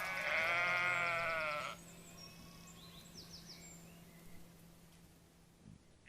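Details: A single loud, tremulous sheep baa lasting almost two seconds, followed by quiet background hum and faint distant bird chirps.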